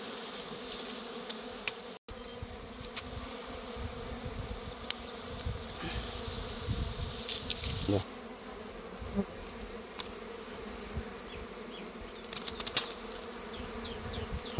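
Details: Wild honey collecting among honey bees: a constant buzzing hum fills the scene, broken by handling clatter and scattered sharp taps.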